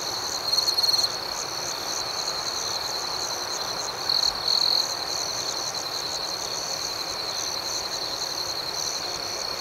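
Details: Night chorus of crickets: a constant thin, high trill with quick rhythmic chirps over it, punctuated by short louder bursts early on and again around four seconds.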